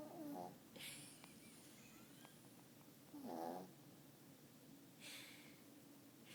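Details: Nine-year-old, five-pound Yorkshire Terrier fast asleep in a lap indoors, snoring: soft breathy snorts with a faint nasal tone, returning roughly every two seconds over quiet room noise.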